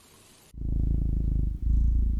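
A domestic cat purrs with a deep, steady rumble that pulses in a fast, even rhythm.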